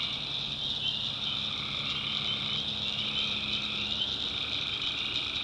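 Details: A swamp at night in the North Carolina backwoods filled with calling tree frogs: a constant dense trilling chorus, somewhat muted in its lower voices, under a strong unbroken high shrill drone.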